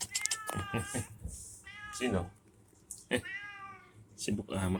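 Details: Loren, a pet cat already waiting at a small roadside shop (warung), gives drawn-out harmonic meows between stretches of Indonesian speech as it is asked whether it has eaten.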